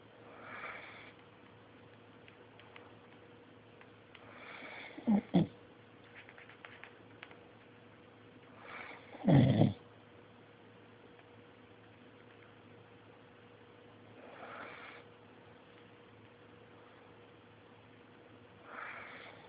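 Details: A sleeping service dog snores softly. Breathy, rasping snores come about every four to five seconds, with two louder, sharper snorts near the middle, over a steady low background hum.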